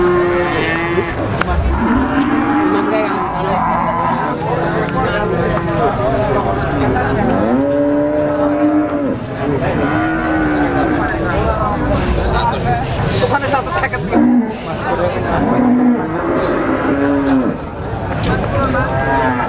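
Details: Female Rambon cow at a cattle market, offered for sale; a series of low, drawn-out, arching moos repeated every few seconds, with steady crowd chatter and market bustle in the background.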